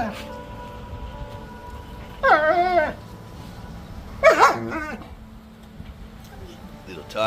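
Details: Pet dogs communicating with each other while playing outdoors as light snow falls: two wavering, harmonic whine-howl bursts about two seconds apart, each lasting roughly half a second, over a quiet background with a man's voice nearby.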